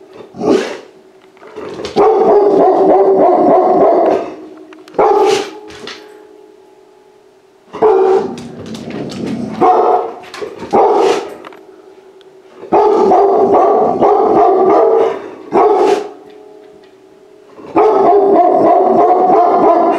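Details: Bouts of sustained tonal barking from a rescued puppy exploring a house for the first time, each bout lasting one to two seconds, with sharp clicks and short yaps between them and brief quiet gaps.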